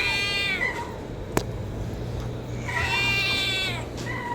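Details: Homeless domestic cat's kitten calling for food with two loud, rich meows, each rising then falling away in a drawn-out wail, a sharp click between them and a faint hum underneath.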